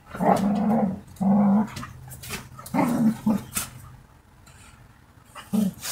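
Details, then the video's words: Dogs playing and fighting with each other: low, rough growls in bursts of about half a second, four main bouts with short pauses between them, plus scuffling clicks and rustling. "Hunde spielen und kämpfen miteinander Dog Fight Geräusch Sound Klang"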